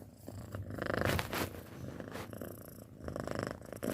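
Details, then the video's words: Close, loud purring from a six-month-old pet cat, a rough low buzz with a few stronger breathy bursts. "Suara Kucing Mendengkur"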